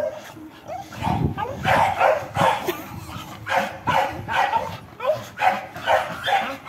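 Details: Dog in Brazil barking while repeatedly jumping to catch a tire: a steady series of about fifteen loud, short barks, roughly two or three per second, over thumps and scuffling.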